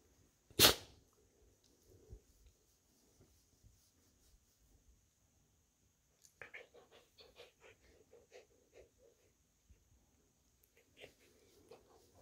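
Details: Fuzzy female American Akita puppy cuddling upside down in a lap while her belly is petted indoors: one sharp loud sneeze early, then a run of short, soft, rhythmic grunting snuffles with quiet rustling between.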